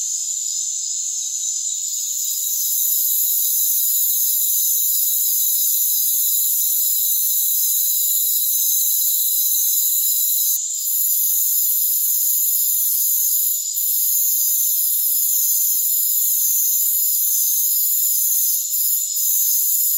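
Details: A dense, steady chorus of rainforest crickets forms an unbroken high shimmering trill with no pauses.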